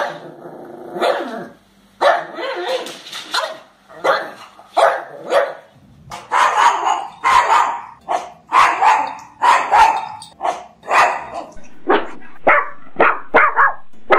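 A pug gives a run of short, sharp barks, several with a rough, gravelly edge. The barks come in quick bursts about once a second, with brief pauses between them.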